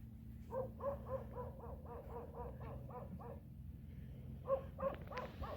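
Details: Orange domestic cat giving a rapid run of short, harmonic meows, roughly three each second for about a dozen calls, then a brief pause and a few more; a steady low hum runs underneath.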